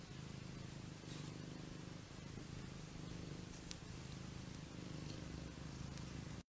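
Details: Continuous low, even purring from a lazy pet cat, a soft rumble held for several seconds with faint clicks above, ending abruptly.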